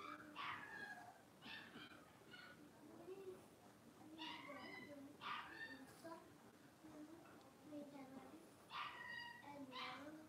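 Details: Blenheim Cavalier King Charles Spaniel puppies, a litter of five born on New Year's, playing in an indoor puppy pen: bursts of high, sharp yips and squeaky whimpers come every second or two, over a low murmuring background.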